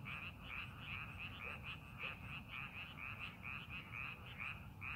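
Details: Frogs calling in rice paddies being prepared for farming, a dense chorus of short, bright croaking notes repeated rapidly, about two per second, overlapping from several callers over a low rumbling background.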